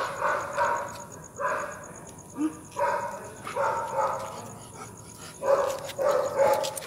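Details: Rottweiler out on a night walk; a series of short, mid-pitched barks comes in bursts roughly every second, with pauses between groups and a steady faint hiss in the background.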